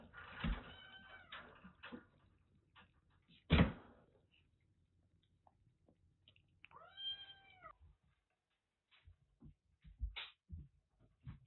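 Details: Domestic kitten, one of two clingy female rescues about three and a half months old, saved from a sweltering attic and cared for in Kagoshima: a single clear meow that rises then falls, near the middle, amid indoor knocks and thumps.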